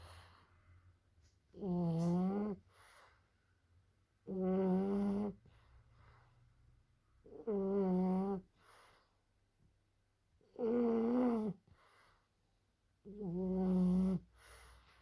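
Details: French Bulldog asleep and snoring in a steady rhythm. Five humming, buzzy snores, each about a second long, come roughly every two and a half seconds, with quiet breathing between them in a small room.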